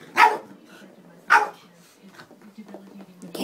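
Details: Boston Terrier barking while trying to play with a cat toy, two sharp barks about a second apart, then quieter grumbling with Dutch speech in the background.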